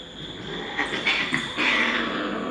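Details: Female doll-face Persian cat in Gujranwala calling during mating: a loud, drawn-out yowling wail with several rising, strained squeals that swell toward the end, over a steady background hum.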